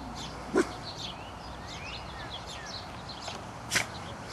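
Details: Pet dog's single short, low, muffled woof near the start, then a sharper brief sound later, against a quiet background with faint high chirps.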